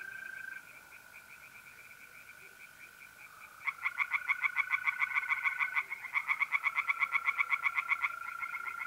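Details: Night in mid-April at a pond in north-east Italy: the first three seconds hold only the smooth, constant trilling of mole crickets, then tree frogs burst in with loud, quick, pulsed croaking to the end.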